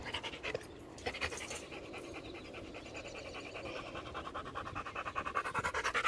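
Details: A pet Rottweiler named Macho, playing fetch, breathes in quick panting puffs around two and a half per second, the breaths growing louder toward the end.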